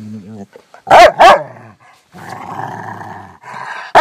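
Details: Angry-sounding female Rottweiler kept as a pet, putting on a tough act for her owner: a brief low murmur, then two quick loud barks followed by a steady rumbling growl and a final sudden bark.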